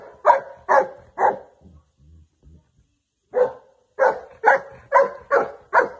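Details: Golden Retriever giving three quick barks, then a pause holding a few faint low grunts, before six more sharp barks follow in a fast, even series, with nothing else audible.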